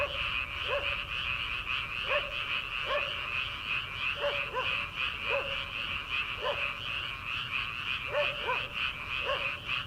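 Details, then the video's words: Early-summer frogs calling from rice paddies before transplanting. Short, twangy lower croaks repeat roughly once a second, sometimes doubled, layered over a thick, continuous high trilling chorus. "초 여름 개구리 울음소리/ 논에서 들리는 개구리 소리"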